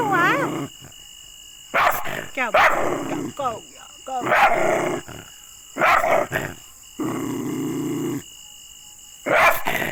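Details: Angry dog giving harsh barks and throaty growls in short bursts, mixed with a woman talking in Hindi and a few whining, rising-falling tones between the louder snarling outbursts.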